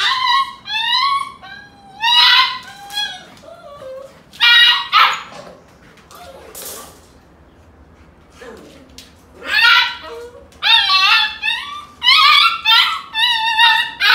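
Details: Golden Retriever mother wrestling with her puppies to teach them toughness; bursts of high whining yips and short barks come in clusters, with a quieter stretch of soft whimpers midway, indoors.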